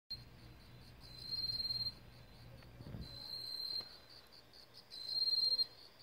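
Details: In autumn in a Korean vegetable garden, a Korean katydid gives short, high, metallic buzzing bursts, like a whistle with a steel ball inside, each under a second with pauses between.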